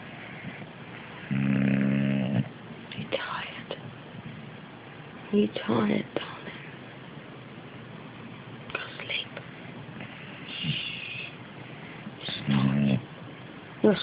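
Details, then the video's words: An English Bulldog snores on the sofa in low, rumbling bursts while a woman speaks softly nearby. "English Bulldog Fat Louis Snoring"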